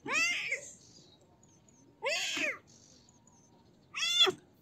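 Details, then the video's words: Young cat giving three meows roughly two seconds apart, the first long and drawn out, the others shorter and rising-falling, with a quiet background. "Baby Cat Meow Sounds"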